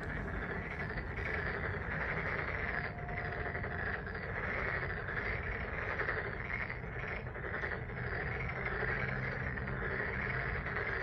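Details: Frogs croaking together at Deokjin Park in Jeonju, Korea: a thick, steady rattle of countless overlapping calls, joined late by a faint low droning tone beneath.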